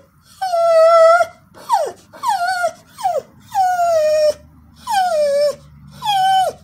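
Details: Pet Border Collie, a female dog, vocalizing for no known reason: a run of six drawn-out, tonal howls with whining, falling pitch, each about half a second to a second long with short gaps, sliding down at the ends; no other sounds.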